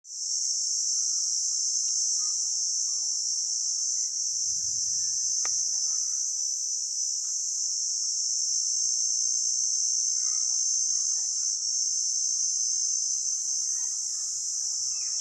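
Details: Cricket. Crickets produce a piercing, high-pitched continuous trill, steady in pitch and loudness throughout. Faint scattered chirps and a brief low thump sit beneath the dominant insect chorus.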